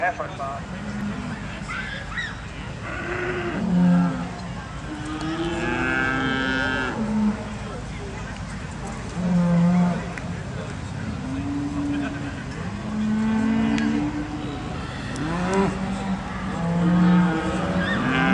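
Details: Charolais beef cattle at an agricultural show in Perth, Perthshire, Scotland, with a run of deep moos, some short and some drawn out, spaced a few seconds apart against continuous crowd and showground noise.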